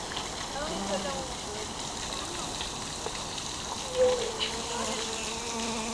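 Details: Busy bees working inside a lotus flower, slaloming between its closely arranged stamens; faint, low wavering hums come and go as the insects shift position, set against a steady hiss, with a brief click near four seconds.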